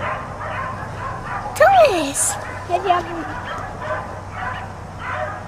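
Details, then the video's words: Dogs kept outside all day bark in an irregular stream, with a rising and falling whine-like tone and a brief sharp noise midway, over constant low hum. "4 Dogs Barking Allday"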